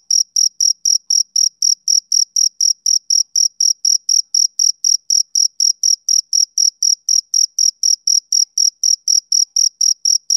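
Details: Rhythmic chirping of a male cricket, a summer-evening sound: bright, high-pitched pulses repeating roughly four times per second without a break, regular and unvarying in loudness, nothing else audible.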